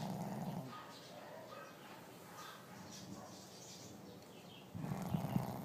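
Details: Sleeping dog snoring indoors: two low, rumbling snore breaths, one at the start and one near the end, with a quiet hissing stretch between them.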